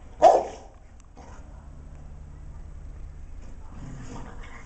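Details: Dogue de Bordeaux and golden retriever, Arnie and Sam, play fighting; one sharp single bark at the start, then quiet low rustling and faint noise.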